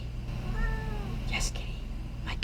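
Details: A female domestic cat gives a short, gently falling meow at her owner to get attention.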